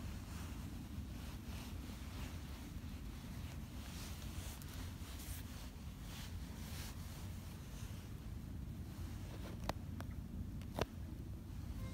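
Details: Steady outdoor wind rumble buffeting the microphone, with two sharp clicks near the end.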